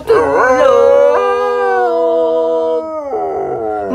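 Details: Dog trained as a young pup to sing, tested again after four years apart, howling along with its trainer: a long, steady, tonal howl holding one pitch, then breaking lower near the end, with clapping and voices around it.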